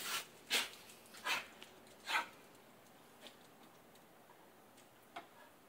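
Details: Female pet dog yelping excitedly in reaction to splashing water: four sharp, high yelps in the first two and a half seconds, then two fainter ones, over a quiet background.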